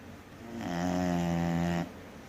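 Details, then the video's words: A 3-year-old English Bulldog snoring hard gives one long, deep, rattling snore lasting over a second. "3 year old English Bulldog snoring hard..."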